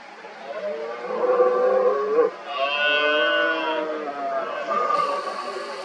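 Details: Red deer stag roaring in the 2023 rut among many rival stags: a long, rich, bellowing roar that swells and then breaks off, followed by a second, higher, more tonal roar and a fainter one, over a steady hiss.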